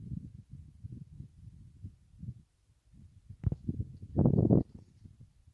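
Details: A male red deer stag roars during the rut in Sierra Morena, Jaén, Spain: a deep, hoarse rutting roar over low rumbling and murmured voices.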